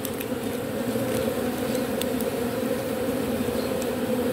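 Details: Robber bee taking propolis from matchsticks for reuse, heard as a steady, low, unwavering buzz with a brighter overtone and scattered soft ticking.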